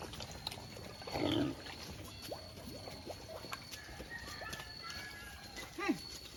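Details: Free-range native black pig on a farm in Albay gives one short, loud, harsh grunt-squeal around the one-second mark; faint bird chirps, insect hiss and soft rural background noise continue throughout.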